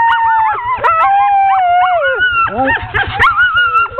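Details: Amid the hook-up of a ten-dog sled team for a training run, 16 October 2010, a long steady howl slowly sinks in pitch over two seconds, joined by rising yelps and a burst of clustered barking; a low engine-like hum runs underneath.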